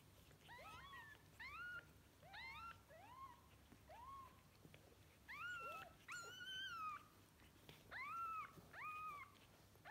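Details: Newborn kittens, one litter of five born overnight at home to an adopted pregnant street cat, mewing insistently: about a dozen high, thin, arching mews in ten seconds, some overlapping or in quick pairs, over a quiet indoor background.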